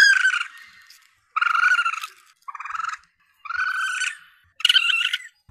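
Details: Juvenile Asian palm civet calls intended as a hunting lure: five drawn-out, buzzy, mewing cries, each fading away over roughly half a second to a second, separated by short pauses.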